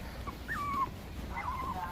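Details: Four-month-old Pomeranian puppy whining while out on a walk during a training session, two thin high whimpers sliding downward, over low background rumble.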